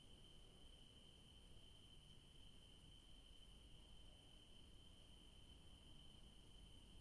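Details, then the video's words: Crickets calling in the evening in a garden where yellow daisies grow: a steady, unbroken high-pitched trill with a fainter, even higher tone above it, heard quietly over low outdoor background noise. "Sounds of crickets in the garden in the evening"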